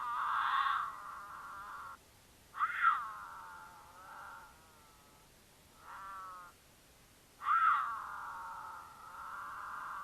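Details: During courtship in Utah, a female mountain lion in heat caterwauls to attract a male travelling with her, who occasionally answers: long, harmonic wailing cries, each wavering and trailing off.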